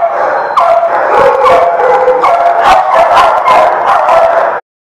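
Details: Group of dogs recorded on 16 June 2017 howling and yipping together in a dense, continuous, loud wall of wavering tones punctuated by rapid barks, ending abruptly.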